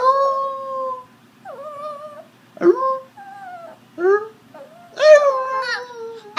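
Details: A 9-week-old red sesame male Shiba Inu puppy howls when asked to sing, giving a string of drawn-out, wavering, tuneful notes with short pauses between.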